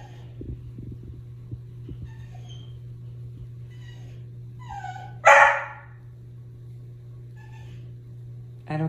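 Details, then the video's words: Vocal dog "talking" about the plants, told to bark away: faint whines and grumbles build to one loud, sharp bark in the middle, then quieter murmurs over a constant low electrical hum. "Dog have so much to say about plants"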